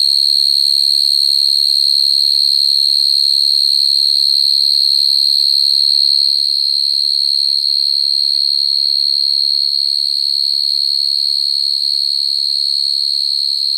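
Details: At night, a common field cricket calling naturally for a mate gives a steady, high, ringing trill that barely wavers from start to finish.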